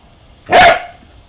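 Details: A three-year-old male Corgi playing with a slinky indoors gives a single sharp, loud bark lasting about a third of a second, with a quiet background before and after.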